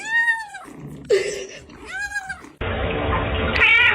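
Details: Domestic cat giving two clear, drawn-out meows that rise and fall, separated by a short rustle; each meow is about half a second long, then loud music takes over the rest of the clip.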